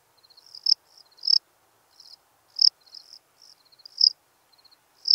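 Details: Lesser field-cricket singing at Breitenbrunn, Austria, 23 May 2021. Shrill chirps alternate between faint pulse trains and sharp, intense bursts, roughly every half to one second. The surroundings are otherwise quiet.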